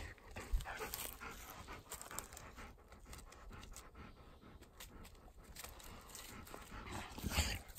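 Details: Ten-year-old Golden Retriever on its way to a field, panting steadily in quick breathy huffs repeated several times a second, with footsteps and outdoor rustling around it.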